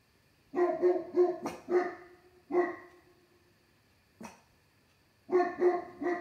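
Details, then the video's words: Two pet dogs, Pandora out on the deck and Maximus inside on a lap, barking at something late on a summer night; clusters of sharp, harmonic barks in bursts of three to five, with short pauses between volleys. "Late night barking"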